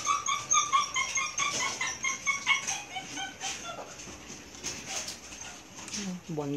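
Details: Milk feeding time for Belgian Malinois puppies aged about one month and two weeks: a run of high, clear whimpering squeaks in the first half, fading into shuffling noise, with a person talking briefly at the end.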